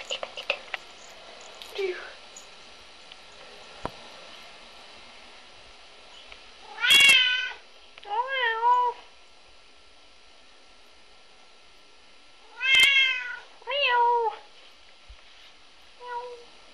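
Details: Red point Siamese cat, three years old, bored indoors rather than playing with toys: two pairs of clear, wavering meows about six seconds apart, then one faint final meow, with a woman coaxing him about his toy.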